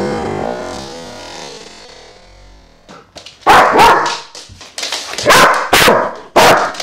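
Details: Vito, a dog with a loud bark, lets out a run of sharp, broadband barks in uneven bursts during the second half, after about three seconds of soft music at the start.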